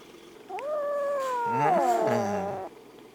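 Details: A white kitten, rescued in winter after it was found near death crouching at the front door of a family home, gives a long, drawn-out, tonal meow lasting about two seconds. The pitch holds steady, then bends and falls toward the end.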